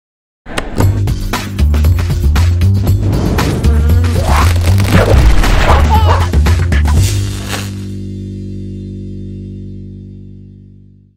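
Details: Rhythmic music with thumping beats that ends in a fading chord, with no animal sounds.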